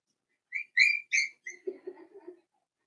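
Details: Daisy's 4-week-old Cavalier King Charles Spaniel puppies in an indoor pen give three loud high whistled squeals with bright overtones, then fall to a run of soft, lower grunting whimpers that fade out after about two seconds.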